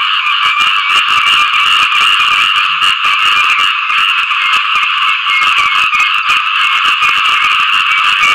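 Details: Small frogs calling for mates after rain: a dense, unbroken chorus of rapid, rasping pulsed calls from many animals, steady and loud for the whole stretch, with no other clear sounds.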